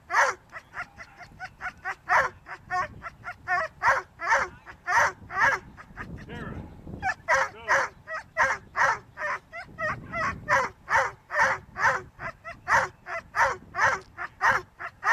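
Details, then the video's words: Whippets at a lure coursing event give rapid, high-pitched yelping barks, repeated about twice a second almost without pause, with a brief burst of broader rushing noise midway. "lure coursing whippets-part two"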